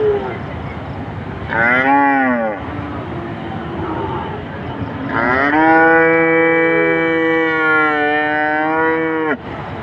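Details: Cow. A cow lows twice: first a brief moo that swells and drops away, then a long, sustained, rich-toned moo lasting about four seconds. Faint background hum runs beneath.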